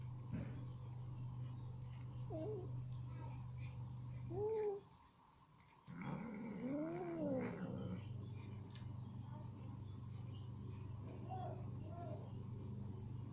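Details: Ginger cat eating chicken meat, with meat stuck in her teeth as she tries hard to remove it; short rising-falling meows come at about four and again near seven seconds, over a steady low hum and faint chewing clicks.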